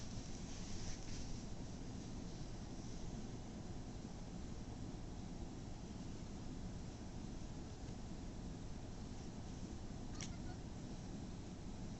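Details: A steady low rumbling noise like a passing vehicle or aircraft fills the recording. No animal voice can be picked out.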